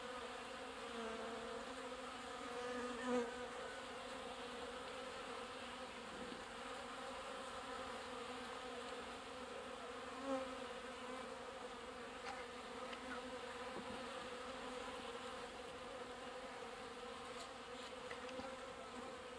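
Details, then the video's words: Many honey bees at a watering point, collecting and pumping water: a steady, dense buzzing hum with banded harmonic tones, continuous throughout, with a couple of brief louder passes near three and ten seconds. "Abeilles : les porteuses d'eau en plein pompage"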